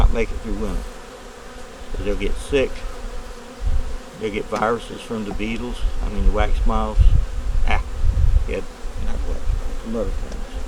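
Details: Winter inspection of a honey bee nuc with a yellow queen and brood in the top box: many overlapping buzzing bees pass close by in quick succession, each a wavering hum that swoops up and down, with low thumping in the background.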